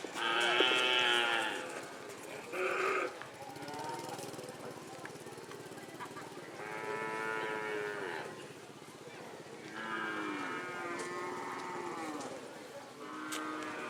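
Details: Cattle at a Kerapan Sapi bull race on the Sokaramme field, Sapudi Island, Madura, East Java, Indonesia, first round: several drawn-out harmonic moos, some rising and falling, repeated through the clip over a murmuring crowd.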